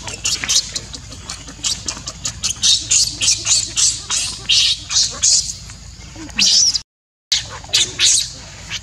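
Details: Tiny baby monkey while its mother weans it, pulling it off her milk and grabbing its hair: a run of shrill, piercing squeals repeated about twice a second, with brief pauses between bursts.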